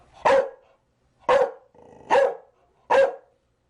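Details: Chow Chow barking in four loud, sharp barks spaced about a second apart, each short and punchy, with silence between them.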